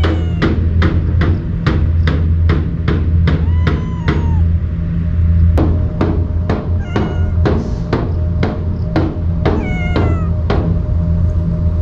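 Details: Wary stray cat, normally quick to run from people, eating fed Kalkan food; rapid repeated knocking clicks dominate, with a few short meows scattered through and a constant low hum beneath.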